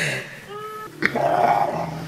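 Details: Rottweiler talking while being cuddled indoors: a thin rising whine, then a low grumbling moan that swells and is held, with a woman's soft voice around it.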